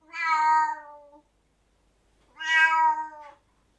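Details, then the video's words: Angry domestic cat meowing loudly indoors: two drawn-out, harmonic-rich meows, each about one second long, falling slightly at the end, separated by a second of silence. "Angry Cats Meowing Loudly"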